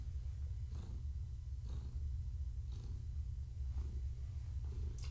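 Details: Evening purring of Gaia, a long-haired tabby expecting kittens, while a hand pets her. A low, even rumble carries on throughout, with breath-timed swells close to once a second and light handling noise.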